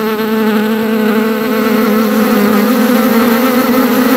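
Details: A bee in a meadow gives a steady, low droning buzz, rich and slightly wavering in pitch, without a break; nothing else is heard.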